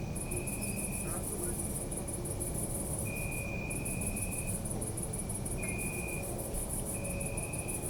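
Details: City park at night with crickets, recorded on a Zoom F3: an almost unbroken high-pitched pulsing trill with one short gap, lower drawn-out trills coming and going, and a steady low urban drone.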